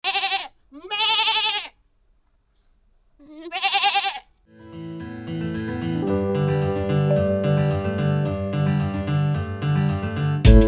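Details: Goat on a farm giving three loud, wavering bleats with a shaky, quavering tone, separated by short silences, before cheerful instrumental music takes over for the rest of the recording.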